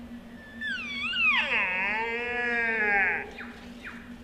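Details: A sika deer stag gives a rising, whistling squeal that bends, then holds as a long harmonic tone; this rutting whistle calls nearby hinds and challenges rivals to fight.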